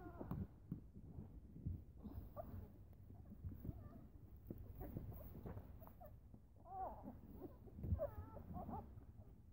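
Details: Eleven-day-old Newfoundland puppies, just starting to test their legs, whine and squeal around feeding time with their mother close by; scattered wavering cries grow denser toward the end amid low bumping and rustling.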